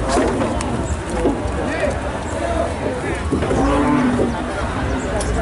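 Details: Cattle leaping down from a truck; a few short, low moos rise out of heavy, constant noise and scattered voices, the clearest one near the end.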